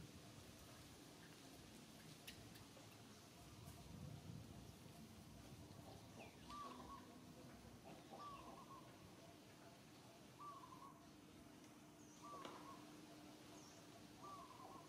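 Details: Little monkey Santo crying to its mother Sara for milk, sad short whistled cries repeated about every one and a half to two seconds, each a slightly wavering tone, over a steady low hum and quiet outdoor background.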